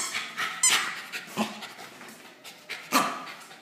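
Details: Small male Bichon Frise awaiting adoption, recorded indoors: a run of short, breathy sniffing and panting bursts with one brief high squeak early on.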